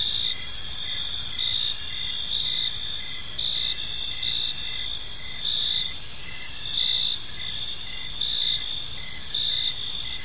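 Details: Several crickets chirp together in a peaceful park as evening falls, high rhythmic pulses recurring about once a second above a constant shimmering trill and faint distant hum.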